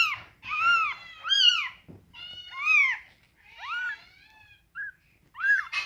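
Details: Scottish Fold kittens with rare coat colours meow indoors. High, arched mews follow one another in quick succession from more than one kitten, each rising and then falling, with brief pauses between them.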